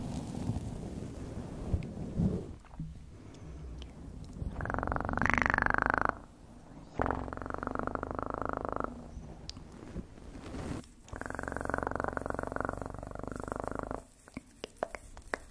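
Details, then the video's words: Close-up cat purr, a continuous low rumbling vibration interrupted by several louder bursts of brighter, harsher sound, one carrying a short rising tone. "1 Hour Of Best PURRING sounds"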